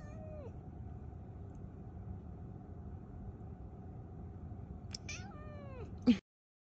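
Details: A Scottish Fold Longhair cat around its first vaccination in a year gives two short, falling meows over a steady low hum.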